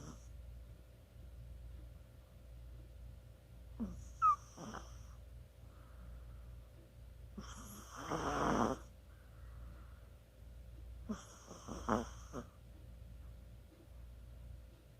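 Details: Chihuahua asleep and snoring, 24 October 2020; irregular breathy snorts and a longer rough snore in the middle, with quieter gaps between, soft background hum.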